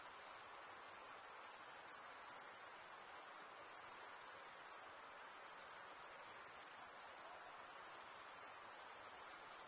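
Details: Crickets stridulate in an unbroken shrill trill. Brief slight dips in loudness come around four and five seconds before the even, high ringing chorus carries on alone.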